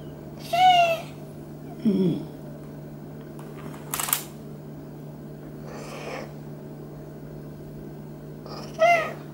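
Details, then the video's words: Male Maine Coon cat from a South of France cattery during a massage: a few clear, high, bending meows spaced several seconds apart, with a lower grunt-like sound and a brief rustle between, over a steady low hum. "MAINE COON CAT MEOWS AND GETS A MASSAGE"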